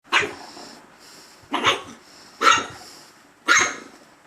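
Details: Male dog barking at himself: four short, sharp, rough barks, each about one second apart with a quick bright onset and brief fade, in a quiet indoor setting.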